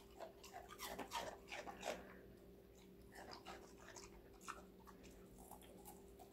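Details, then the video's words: Connie, a five-month-old female Golden Retriever, eats assorted vegetables indoors: crisp crunching bites come in quick irregular bursts for about two seconds, then softer scattered chews over a steady low hum. "강아지 각종야채 먹방 l 사각사각사운드 🌿Various vegetavles🌿REAL SOUND"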